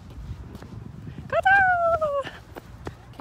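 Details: Pet dog out on a walk on a fine day, reluctant to keep walking; a single drawn-out whine lasting nearly a second, steady then sliding slightly downward, with a person talking and footsteps around it.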